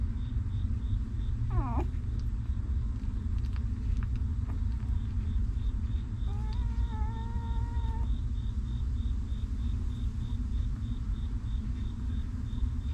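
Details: Stray mother dog's newborn puppies: a quick rising-and-falling squeal early on, later a steady, flat, nasal whine held for about a second and a half, against a continuous low rumbling hum.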